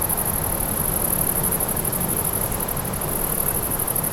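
A grasshopper's high, steady pulsing buzz runs without pause over a low, rumbling background hiss.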